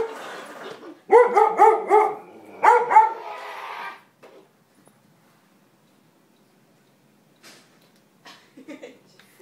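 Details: Dog barking at an Optimus Prime toy indoors: a quick run of about seven tonal, ringing barks packed into three seconds, then near silence with faint voices.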